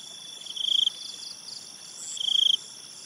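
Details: Night cricket calling beside a river: two loud, rapid pulsed chirp trills, each about a third of a second long, rising in volume, over a steady shrill insect drone.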